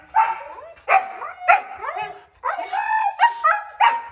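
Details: Siberian Huskies, two excited dogs seeing their harnesses before the dog park, give quick whining howls and yips in short tonal bursts, around seven rapid outbursts, some sliding upward and others held briefly.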